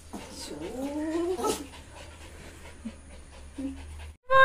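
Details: Pomeranian dog on the way to an injection, giving a short wavering nasal whine that rises and falls for about a second and a half, then quiet room noise with faint small sounds.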